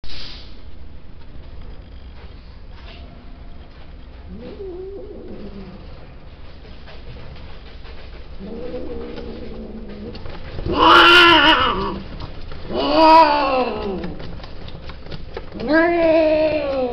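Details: Male domestic cat during mating, giving three loud drawn-out yowling calls near 11, 13 and 16 seconds, each wavering and bending in pitch, after quieter low moaning calls earlier, over a faint steady background hum.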